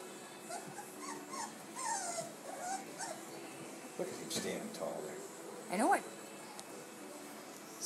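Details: Four-week-old Gordon Setter pups from Rosie and Dash explore their world and each other at Top Gun Kennels in Ishpeming, Michigan, on July 21, 2011. Thin, wavering whines and whimpers rise and fall repeatedly, mixed with human voices.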